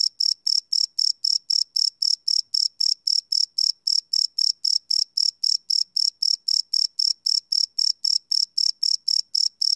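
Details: Cricket chirping at night, recorded live without loops on a Sony PCM D100 field recorder; a steady train of bright high pulses, about four per second, with no other sounds.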